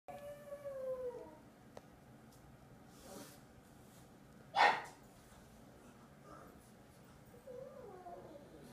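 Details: Earl, a pet pug, howls at his owner at home while playing with his favourite chicken drumstick toy: a steady, sustained tone sliding down at the end, a sharp knock, then a short rising whine near the close.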